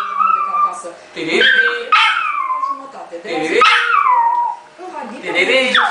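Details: Male Yorkshire Terrier, two years old, singing in a series of whining howls. Each starts high and slides down, repeating roughly every two seconds with short breathy gaps between phrases.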